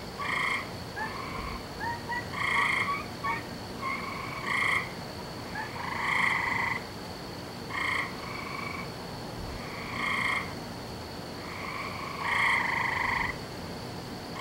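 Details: Several frogs calling together on a May night, 17 May 2012, as heard nightly at this time of year: a busy run of bright, harmonic croaks, some short and clipped, some longer, overlapping irregularly above a steady hiss.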